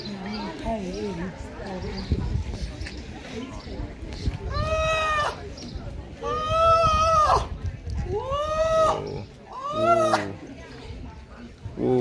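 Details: Seals, including a baby seal, give a series of loud, arching, harmonic wails, with human voices heard early on.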